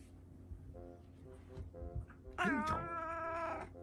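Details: Pet cats indoors, a young male kitten nibbling and playing with a tolerant older female cat; after soft faint sounds, one clear drawn-out meow rises and holds for about a second, with a person speaking nearby.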